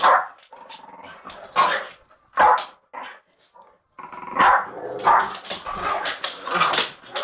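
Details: Jack Russell fighting a Bull Mastiff, with rough barks and snarls in separate bursts, a short lull near four seconds, then renewed harsh growling and yelping.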